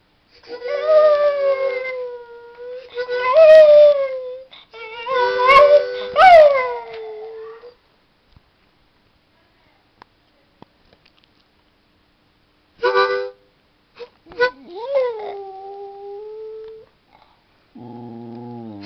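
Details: Ned, a pet dog, howling along with music: wavering drawn-out howls with bending pitch in bursts over the first seven seconds, a quiet gap, then more sliding howls and a low musical tone at the end.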